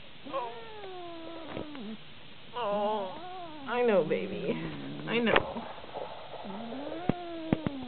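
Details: Male cat, sedated with acepromazine by a vet and relaxed while being shaved into a lion cut, gives long drawn-out wavering yowls that slide down and rise again, several in a row, with louder moaning bursts midway.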